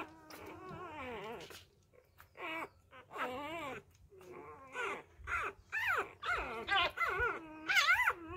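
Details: Hand-fed newborn Labrador Retriever puppies, whose first-time mother has been deserting them, give wavering, high whines and squeals in uneven bursts, some drawn out and bending up and down, roughly once a second.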